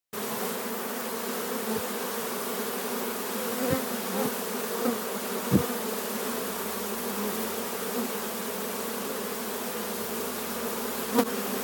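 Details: Wild honey bee swarm arriving near a hive at Domaine Saint-Antonin, Jouques, Provence, France, on 17 April 2018; a steady, dense low buzzing drone holds throughout, with a few faint knocks.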